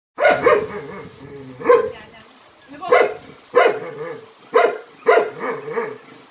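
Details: Jindo dog named Jinmyeong from a Jindo dog performance troupe, with grandmother Shindeok, barking. Sharp, loud barks, some doubled, come in irregular bursts of about seven over six seconds, with quieter yelps trailing between them.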